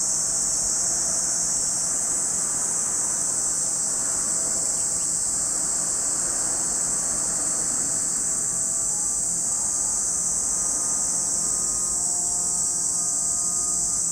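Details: Cicadas droning at Lake Kamo in Sado City, Niigata Prefecture, Japan: an even, piercing high hiss sustained for the full stretch, over a low background rumble, possibly traffic, and faint steady tones.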